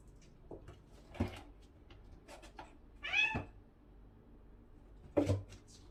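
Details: Domestic cat during its daily routine: one clear rising-falling meow around three seconds, with scattered clicks, thumps and a short sharp noise near five seconds in a quiet room.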